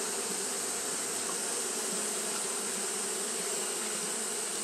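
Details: A continuous low buzz from Japanese honey bees fanning through a hot day, steady and unvarying with layered harmonics, set against an ongoing bright hiss.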